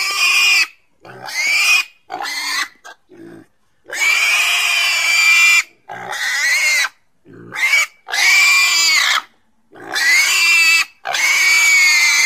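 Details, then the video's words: Domestic pig squealing in long, drawn-out cries, each lasting one to two seconds, shrill and strongly harmonic with a steady high tone, separated by short silent gaps. "Domuz sesi🐷Pig's voice🐖Schweinsstimme🐷Donuz səsi🐖豬的聲音🐷la voix du cochon"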